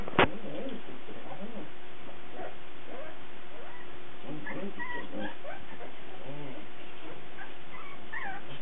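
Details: Cardigan Welsh Corgi puppies, recorded 17 March 2008, giving soft, high whimpers and squeaks in scattered short bursts after a sharp click at the start, with a steady low hum underneath.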